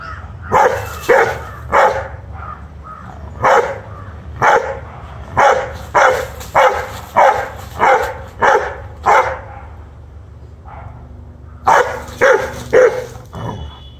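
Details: A 1-year-old Rottweiler barks in loud, sharp, angry bursts, repeated rapidly with brief pauses, while fighting a monitor lizard, protecting its family.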